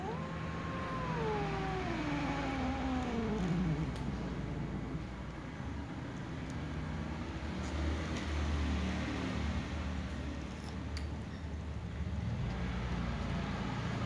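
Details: New white cat eating as a tom cat and other cats dare not come near; a long drawn-out meow slides downward over about four seconds, followed by continuous low engine-like rumble.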